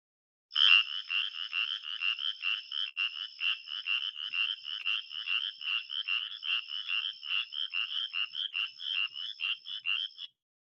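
Spotted chorus frog giving a fast, repeated series of short, raspy, high-pitched trilled notes.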